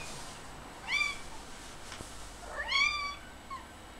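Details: Chatty pet cat indoors answering when spoken to: two clear high meows about two seconds apart, each rising then falling with bright harmonics, a brief soft chirp after, quiet room background.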